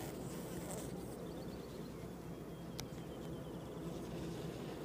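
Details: A colony of honey bees at Downs busily working a comb honey super on a sweet and white clover nectar flow: continuous low droning buzz, with a faint high thin bird trill and a sharp click partway through.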